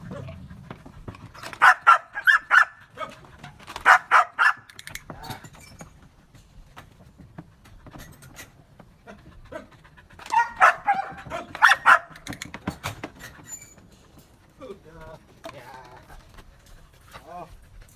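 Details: Belgian Malinois dog trained to bark on command during an obedience lesson; sharp, harsh barks come in two tight clusters of several rapid barks each, separated by quiet pauses, with soft whines and faint handling noise toward the end.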